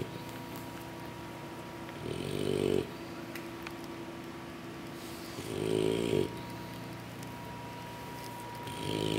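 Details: Sleeping English Bulldog puppies worn out after a big meal from their mother give slow rattling snores, two long rough breaths a few seconds apart, with airy hissing in between and a constant background hum.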